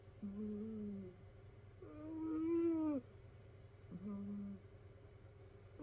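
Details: Domestic cat from a multi-cat rescue household snoring in its sleep; a low flat whine, then a louder arched whistling snore, then another low whine, with a faint steady hum underneath.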